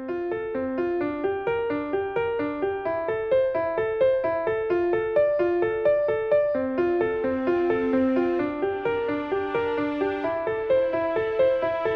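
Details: Bright piano music plays throughout in a steady, repeating melody, with no animal sounds.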